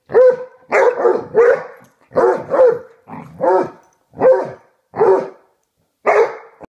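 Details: Basset Hounds, a pair, play fighting on a bed give deep, drawn-out bawling barks with a growly edge, about nine loud yowls spaced roughly every half second to second, nearly nonstop.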